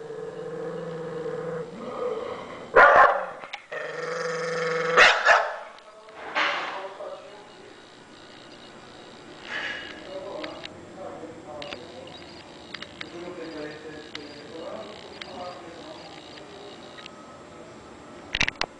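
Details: A bull terrier putting on a little vocal show while eating: a few loud, harsh growly bursts in the first seconds, then quieter, irregular grumbling and whiny murmurs spread through the rest.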